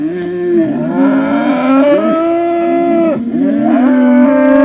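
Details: Highland cattle bulls giving wookie-like calls: a loud, continuous harmonic moan that holds steady, dips sharply near the three-second mark, then resumes at a slightly lower pitch.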